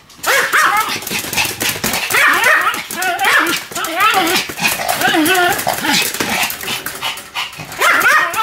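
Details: Sam the Pomeranian barking nonstop while spinning rapidly, a fast stream of high, harmonic yaps and rising whine-like barks with scrabbling and movement noise throughout, a voice possibly mixed in.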